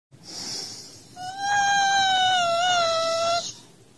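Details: A Siberian Husky indoors calling to wake its owner, possibly hungry: a faint breathy whine, then a sustained, steady howl-like whine about two seconds long with a slight wobble near the end.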